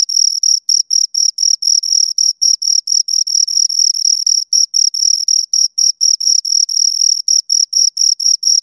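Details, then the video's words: Two crickets stridulating, giving a shrill, even series of buzzy chirps, each burst followed by a quick pause, repeating about twice a second at constant volume with no background noise. "Two Crickets Chirp Sounds"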